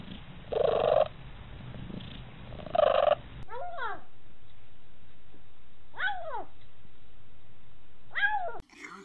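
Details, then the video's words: Domestic cat making short arched meows that rise and fall quickly, three spaced a couple of seconds apart, after two muffled harmonic bursts over a steady low background hum. "14 Weird Sounds Cats Make"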